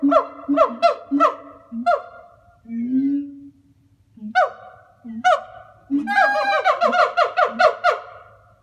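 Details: Two zoo siamangs give loud, hooting calls amplified by their throat sacs, breaking into a quickening series of rising, barking whoops; the calls are social, used for pair-bonding and territory, not anger.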